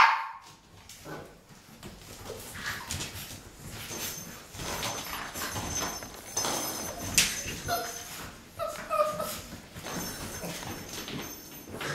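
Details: A litter of Boxer puppies, six weeks old, playing together. Steady scuffling and bumping noises, broken near the end by a few short, high whimpers and a little squeaky yip.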